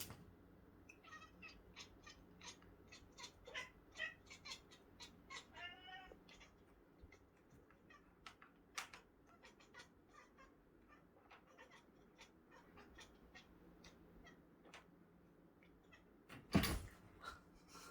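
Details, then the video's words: Cat making a strange sound before attacking: a rapid train of short, harmonic pulses with a wavering, moaning note midway, quiet against scattered clicks and thumps, then a loud knock near the end. "이상한 소리내는 고양이"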